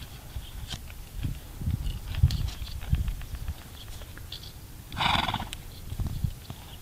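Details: Diesel, a four-year-old Clydesdale starting his riding training near Caldwell, Kansas, gives a loud breathy snort midway through, set among uneven thudding hoofbeats and low rumbling wind noise outdoors.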